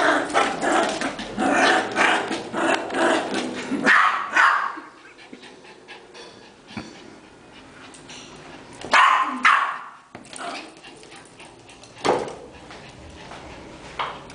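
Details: Yorkshire terrier playing indoors with a ball and its family, giving a run of sharp yipping barks, then quieter stretches broken by single loud barks.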